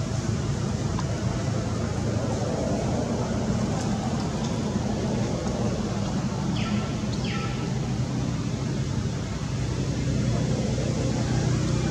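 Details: A constant low-pitched rumble fills the recording, much like engine or traffic noise outdoors. No distinct animal voice stands out above it.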